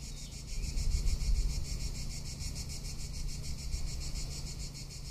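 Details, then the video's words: High, sizzling cicada drone in summer in Tuscany, rapidly pulsed and constant, with gusts of low wind rumble swelling and fading beneath it. "Cicada or Cigarra - Sounds of summer in Tuscany"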